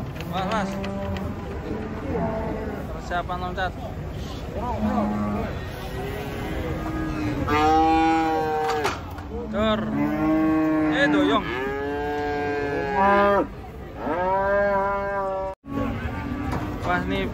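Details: Herd of cattle during truck unloading, many overlapping moos rising and falling in quick succession, mixed with people shouting warnings to go slowly and background music.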